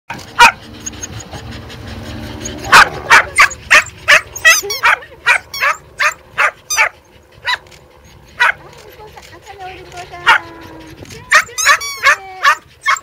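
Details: Pembroke Welsh Corgi running outdoors, barking in sharp, high, loud bursts, repeated quickly in uneven runs of several barks with short pauses, while a person talks in the background.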